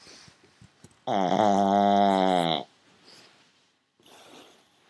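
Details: Pet pug snoring really loud indoors: one long, loud, buzzy, droning snore of about one and a half seconds with a steady rough tone, followed by soft breathing and faint rustling.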